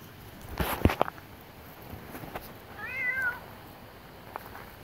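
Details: Cat out at night on guard beside its owner utters a single rising-then-falling meow midway, after several sharp knocks and clicks, with a constant faint hiss throughout.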